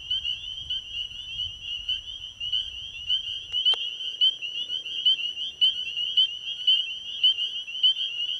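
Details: Spring peepers calling at night at an ecovillage pond: a loud, bright chorus of sharp rising peeps repeated rapidly, about a hundred a minute, over a continuous ringing background, one sharp click midway.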